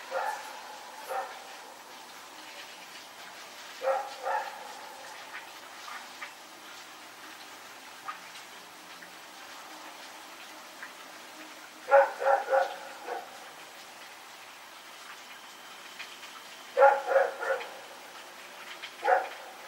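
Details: Rex the dog barking while running around at night, 21 September 2018: short clusters of two or three barks separated by long quiet gaps, some distant and soft, over background hiss.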